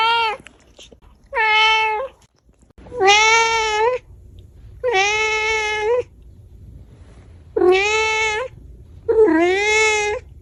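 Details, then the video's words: Five long, steady domestic cat meows, each about a second, rich in harmonics and evenly pitched, separated by short quiet gaps over faint background hiss. "Cat meowing sound"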